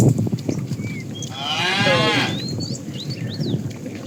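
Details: Cattle herded in the morning, roaming in search of food: one bright, rising-then-falling calf-like bawl about a second long over trampling and rustling, with birds chirping.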